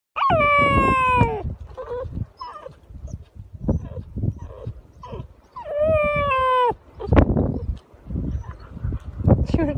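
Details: Newfoundland puppy howling, unhappy at not finding his sister and wanting his lunch. Two long, high, wavering howls that slide downward, separated by whimpers and thumps, with a woman speaking.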